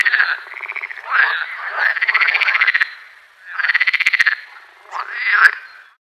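A frog gives loud, rapid pulsed croaks in bursts, each a rattling trill.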